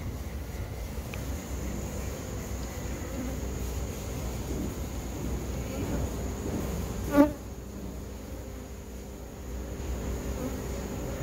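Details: Honey bees, about 8,000 in a two-month-old hive being removed from a cable reel by a professional beekeeper; a steady low droning hum throughout, with a brief sharp tonal click near the middle.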